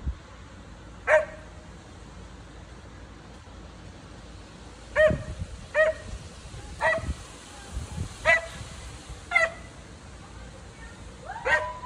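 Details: Pet dog barking at neighbours relaxing in their pool in the back yard: sharp single barks, about eight spaced irregularly, some in quick pairs, over steady low outdoor background hum.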